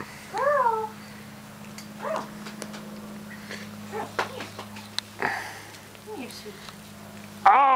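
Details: Australian Shepherd puppies, four weeks old, being babysat on the 4th of July, give several short high squeaky whines that arch up and down, scattered over a few seconds above a faint steady hum.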